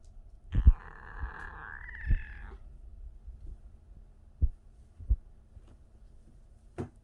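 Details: A 37-day-old kitten making what is described as a strange noise: one drawn-out, harmonic, wavering mew of about two seconds, sliding slightly upward. It is followed by scattered soft clicks and taps in a quiet small room.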